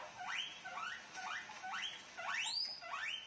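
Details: Guinea pigs make shrill, rising squeaks while eating, about two each second.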